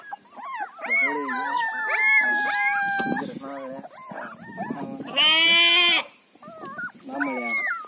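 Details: A litter of 23-day-old Mudhol Hound puppies whimpering, their thin looping cries overlapping, with one long, louder, strained wail in the middle before the whines resume.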